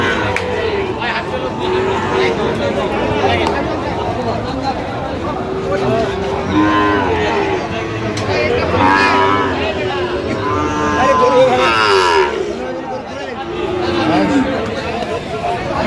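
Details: Sahiwal bull calves at a Khulna cattle market in Bangladesh during bargaining, many cattle mooing in drawn-out, wavering calls that overlap one another, with a busy crowd murmuring behind.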